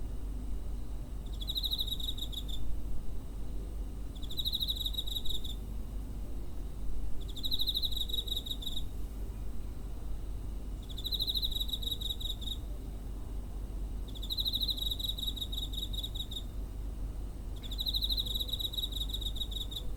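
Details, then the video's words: Cricket recorded near a home on 7 September 2023 with a handheld recorder: rhythmic trilled chirp bursts of about a second and a half, repeating roughly every three seconds, with a steady low background hum. "Cricket chirping (コオロギの鳴き声"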